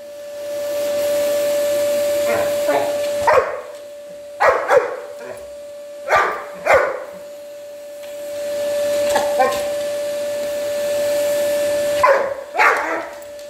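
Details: Samur, a big black Labrador Retriever, repeatedly barks in short clusters of two or three harsh woofs at a vacuum cleaner he dislikes, its constant whine running throughout, with brief quiet gaps between outbursts.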